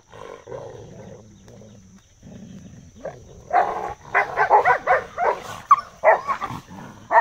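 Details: Dogs fighting, a Rottweiler and a second dog: a low rumbling growl for about three seconds, then a run of harsh, rapid snarling bursts at roughly three per second, with a faint steady hum throughout.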